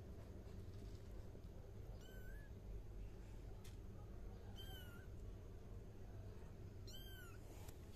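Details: Kitten mewing three times, each cry short, high and slightly falling, spaced roughly two and a half seconds apart over a low steady hum.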